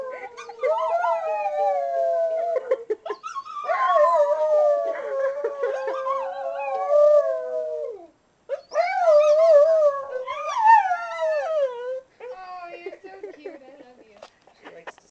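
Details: Pet dog singing along to a ukulele being played, giving a series of long, drawn-out, tonal howls that slide and waver in pitch, separated by brief pauses, with a few higher yelping rises.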